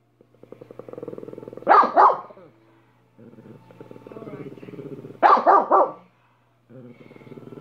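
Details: Dog named Minnie letting out paired, sharp barks twice, separated by long stretches of low, pulsing growl-like grumbling.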